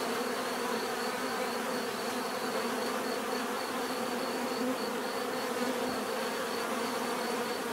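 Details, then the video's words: Many bees producing an unbroken, rich buzzing drone, steady in loudness, with a faint fast ticking pulse audible high above it. "bees therapy relaxing natural buzzing sound"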